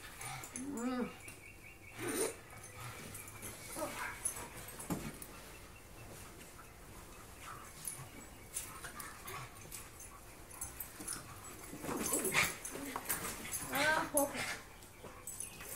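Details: Pet dogs, a husky, a wolf hybrid and a pug, playing together; short rising-and-falling whiny yelps near the start and a cluster of higher whimpering cries toward the end, over constant scuffling and rustling noise.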